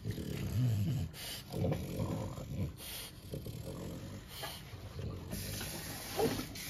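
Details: Snorting from French Bulldogs Bubba and Doug during a bath: deep, rumbling, snore-like breaths and snorts, strongest at the start, recurring irregularly, with bursts of water noise from the bathtub.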